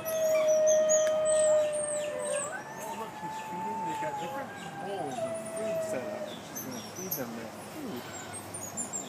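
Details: New Guinea singing dogs in an enclosure at Palm Beach Zoo howl in a long, pure, steady tone that lifts and warbles as their voices overlap.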